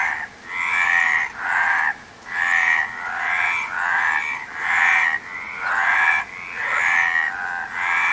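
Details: Repeated frog croaks, harsh and pulsed, about one per second with slightly uneven spacing, forming an unbroken rasping chorus.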